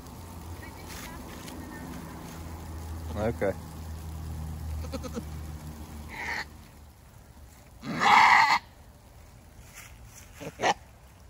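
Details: Female goat in a difficult first labour, giving birth to a single kid. One loud, harsh, drawn-out bleating cry stands out among a few shorter, fainter calls, with people talking quietly and rustling nearby.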